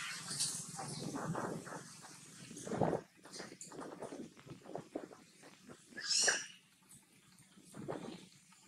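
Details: Young monkey Brinn, being weaned, cries loudly to its mother for milk: a run of harsh, broken squeals and whimpers, one louder shrill shriek near the sixth second, then softer sobbing cries.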